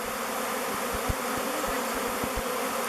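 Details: Swirling mass of thousands of honey bees selecting a new log hive, Bee Beard, around 2:15; a constant, layered buzzing drone with a few soft low thumps beneath it.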